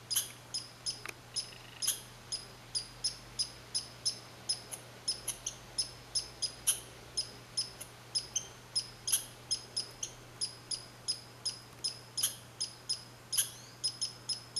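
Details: Red squirrel at Saint-Calixte in Lanaudière, 15 July 2020, giving a long steady series of sharp, high chirps, roughly two each second. A few louder clicks break in, and a quiet low hum runs underneath.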